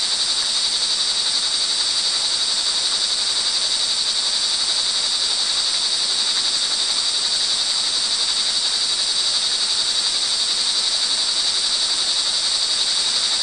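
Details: Crickets calling in the rain on an early evening of June 24, 2011, in Montalban, Rizal, Philippines: a dense, unbroken high-pitched shrill chorus under a steady hiss of rainfall.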